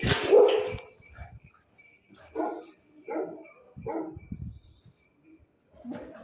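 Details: Rottweiler; bark; guarding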